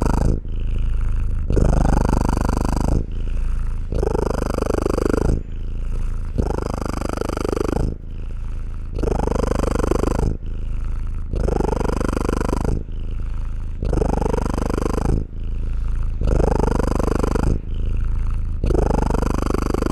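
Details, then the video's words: Domestic cat purring close up, a deep rumbling pulsed purr in which louder exhale phases alternate with softer inhale phases, the cycle repeating roughly every two and a quarter seconds, steady throughout with no other sounds. "Cat purring sounds"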